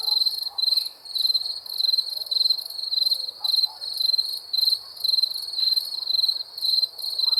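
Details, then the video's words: Night-time cricket chirping, rapid pulsed high-pitched bursts repeated in a steady rhythm, overlapping slightly, with a thin upper harmonic and quiet low background rustle. "Crickets chirping sounds"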